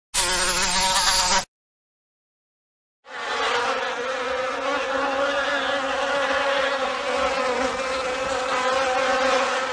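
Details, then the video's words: A short burst of buzzing bees breaks off into silence, then a continuous many-bee drone returns, even and busy, humming steadily to the end. "Bee sounds , bee noises , buzzing bee sound effect"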